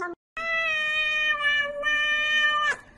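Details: A pet cat gives a long, steady, nasal meow held for over two seconds at an even pitch, after a brief short mew at the start, cut off abruptly at the end.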